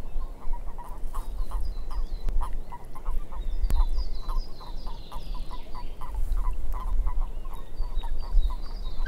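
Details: Swamp frogs croaking steadily, a series of short, even-pitched knocking notes a few per second throughout, with high twittering birdsong overhead and a constant low background rumble.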